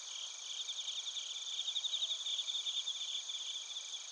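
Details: Several crickets, bell crickets among them, sing in Narita, Chiba Prefecture, Japan, recorded with a TASCAM Portacapture X8. Fast, bright chirp pulses swell and fade over a continuous high insect drone.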